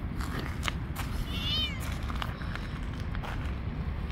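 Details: Hungry stray cat living on the street, one short rising-then-falling meow lasting about half a second, over heavy low rumbling background noise and scattered clicks.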